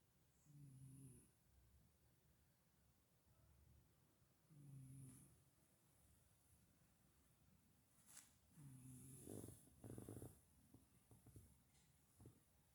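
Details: Sleeping domestic cat purring and snoring: soft, low, rough breaths with a faint harmonic buzz, in three slow bursts about four seconds apart, quiet indoors, with faint clicks and rustles between.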